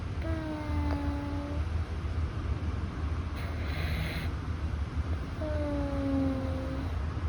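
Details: Quieter sleeping breaths from Louis, a rescued Russian Blue cat with a slightly stuffy nose: two thin whistled tones, each just over a second, gently falling, with a faint hiss in the pause between.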